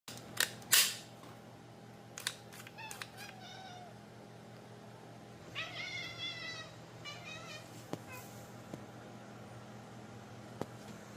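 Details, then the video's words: Kitty making funny noises indoors: loud clicks and thumps early, then a burst of rapid stuttering chirps and short rising trills, with steady background hum. "Funny kitty noises"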